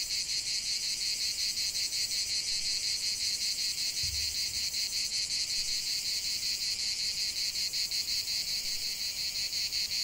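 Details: Cicada song outdoors: an unbroken, piercing buzz swelling in rapid rhythmic beats near three per second, with one soft low thump midway.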